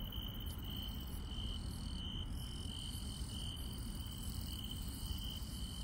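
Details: Countryside night chorus of grass insects, with one continuous high trill that pulses softly and higher insect voices that fade in and out. A dense low rumble sits underneath.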